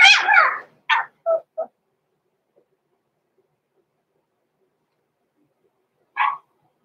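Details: Blenheim Cavalier King Charles Spaniel puppies Roman and Blue, six weeks old, in a home puppy pen: a sharp burst of high-pitched yapping barks, three quick shorter yips, a pause of silence, then one final yip.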